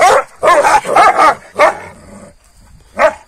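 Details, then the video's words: Kangal dogs squabbling with one another in the morning after being given rabbit at night: harsh, rough barks in quick bursts, four close together, then a pause and a single final bark. "GECE TAVŞAN VERDİM KANGALLAR SAHBAHA BİRBİRİNE SATAŞTILAR"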